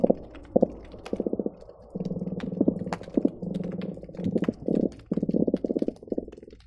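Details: Underwater hydrophone recording of croakers at the Marina Drive bridge linking Long Beach and Seal Beach, a busy day: many overlapping trains of low, buzzy knocking pulses follow one another almost without a break, over a faint rumble and scattered crisp snapping clicks.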